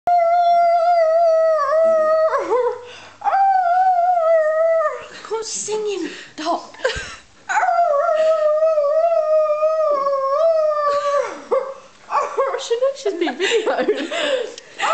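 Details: Dog said to sing, howling indoors in long, steady, tonal wails that hold level then dip, three drawn-out howls broken by rougher yelping bursts, in a small room.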